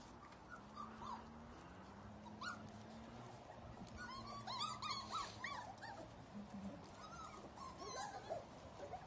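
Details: A kennel litter of puppies, outdoors for the first time, whimper and yip in short, high, overlapping bursts over a steady low hum.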